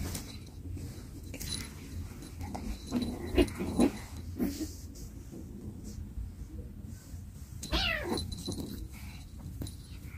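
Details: Cats at home, an older sibling looking after a younger one; a short, wavering meow-like cry with stacked harmonics near the end, softer scuffles earlier, over a steady low background rumble.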